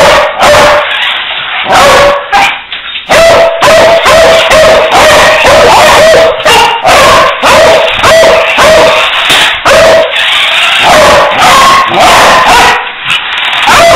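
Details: Beagle barking hard and fast, a long rapid series of loud, tonal barks with an occasional higher yelp, continuing steadily throughout.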